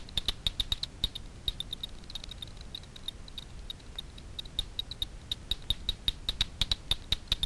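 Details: Echolocation of Daubenton's bats hunting insects over Miedwie lake, north-west Poland, made audible by a frequency division bat detector: sharp dry clicks in quick irregular trains, several per second, against faint background hiss.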